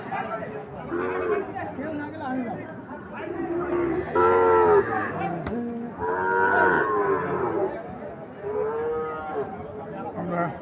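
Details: Several moos from Sahiwal bull calves at Ambari market, a twice-weekly Friday and Monday cattle haat; tonal lowing calls recur every couple of seconds amid busy crowd talk and murmur.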